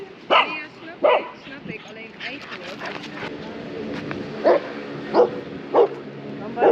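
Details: Shiba Inu Kaki-Maru, aged 2 years 8 months, at a neighbourhood dog run in the Netherlands with a black Labradoodle. Sharp single barks come irregularly, about five across the stretch, over people talking and general outdoor background.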